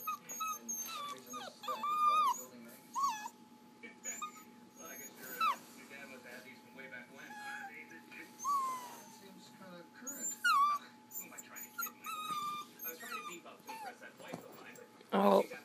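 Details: A new puppy whimpering and whining indoors, with high, sliding, tonal cries repeated in short bursts, mixed with people talking nearby and a steady faint hum.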